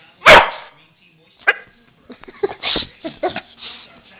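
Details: Pet dog barking when asked to speak for food, one loud sharp bark at the start, a shorter bark near 1.5 seconds, then a woman talking to it.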